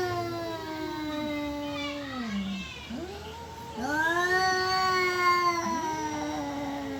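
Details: Cat caterwauling, either wanting to mate or squaring up for a fight: a sustained moaning yowl sliding downward, breaking off, then swelling into a louder rising wail with quick overlapping bent notes.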